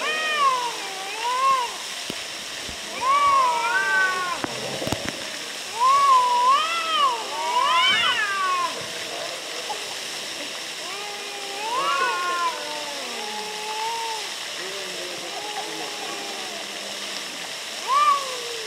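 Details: Two cats squabbling near Antalya, Turkey, alternate many bending, wavering meows and moaning yowls, some stacked and overlapping, with a brief scuffle-like thump near the middle and constant background hiss.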